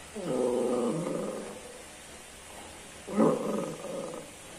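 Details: Cocker Spaniel puppy giving two drawn-out, tonal whining cries, the first lasting over a second and a half and the second a shorter, sharper rise after a pause, in a quiet room.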